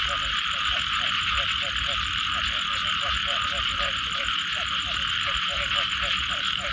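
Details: Short bubbly frog croaks after a rain shower repeat steadily, roughly several per second in loose groups, while a loud continuous insect whine and rhythmic high clicking fill the background.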